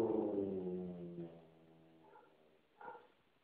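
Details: Basset Hound chasing another dog off his couch, which he guards as his domain, lets out a deep, drawn-out bark that fades into a low grumble.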